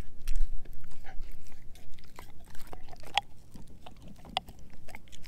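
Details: Edu, a German Shepherd mix, biting into a dehydrated pig ear dog chew. A loud first crunch is followed by slower, spaced chomps and a few sharp clicks, roughly two a second.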